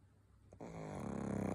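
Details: Pug snoring in a small room: a faint click, then a sudden onset of continuous low vibrating snore that swells gently and keeps a fine rapid flutter throughout.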